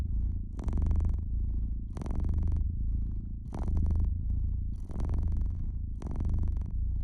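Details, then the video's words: Indoor domestic cat purring near a crackling fireplace; the low throaty purr swells in about five breath-paced waves, and bright bursts of fire crackle come every second or so. "Cozy Fireplace Cat Purring"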